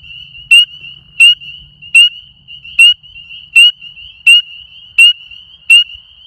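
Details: Small frog calling very loudly at night: sharp, piercing high clicking notes repeated about every 0.7 seconds, eight in a row, over a continuous high trilling chorus from other frogs.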